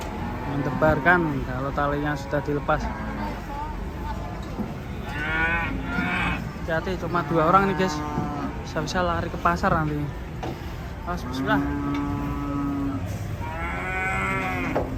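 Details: Raging cattle bellowing in a compilation of angry cows: several loud, harmonic moos overlap, some rising and falling in pitch, with a steady low rumble underneath.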